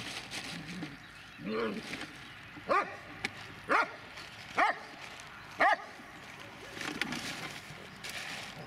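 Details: An 11-year-1-month-old Dobermann barks four times, single sharp harmonic barks spaced about a second apart, with quieter low grumbling sounds before and after against a steady background hum.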